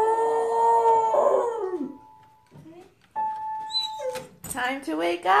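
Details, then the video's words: Beagle playing the piano and singing: a sustained, steady howl that bends downward and fades after about two seconds, followed by people talking and praising it. "Бигль играет на пианино и поет"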